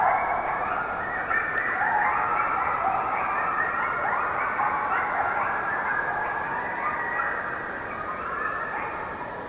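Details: A pack of coyotes in a forest howls together in a dense, overlapping chorus of wavering yips and wails.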